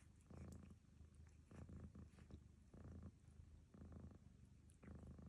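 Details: While Barfi grooms her, the cat Lucy snores in low, rough pulses roughly one per second, each breath a grainy surge above a constant deep hum.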